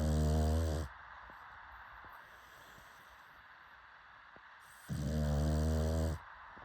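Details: Snoring pug: two long, deep, buzzing snores with layered harmonic tones, one at the opening and one after a quiet gap of about four seconds, each roughly a second long.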